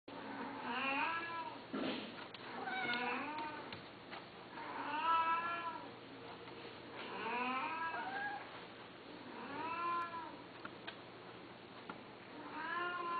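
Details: Domestic cat meowing steadily, drawn-out harmonic meows that rise and fall, repeated roughly every two seconds over a low steady hum.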